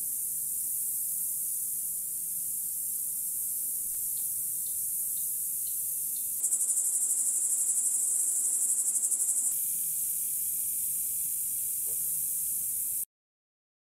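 A grasshopper's high, hissing buzz, steady and dry, pulsing more sharply for a few seconds in the middle.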